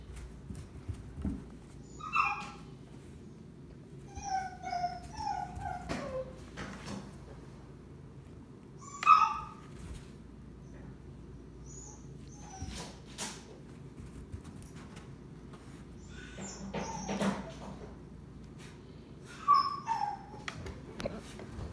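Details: A male Basenji showing off antics for a visiting female Shiba Inu gives short, high, wavering whines and yelps while a woman talks softly.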